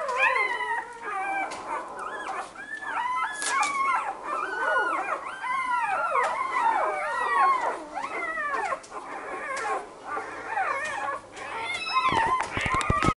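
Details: Where 5-day-old Labrador puppies are kept, a Labrador Retriever, apparently Luna warning Lilli not to enter the puppy box, gives a long run of high, wavering whines and yodelling howls rising and falling, with louder yips near the end.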